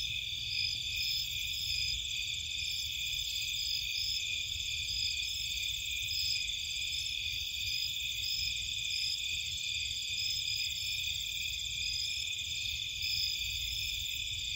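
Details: Night chorus of crickets and insects from a Cape Cod marsh: steady, high-pitched ringing trills in overlapping layers, some softly pulsing, continuing without pause over a faint low hum.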